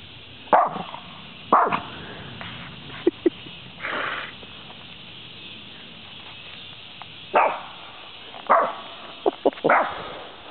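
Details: A little dog that has chased a deer away from the edge of the woods gives sharp, widely spaced barks in irregular pairs and singles, with quiet gaps between them.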